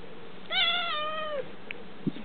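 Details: House cat begging for seaweed: one drawn-out, tonal meow lasting about a second, steady in pitch and then dropping at the end, followed by small clicks in a quiet room.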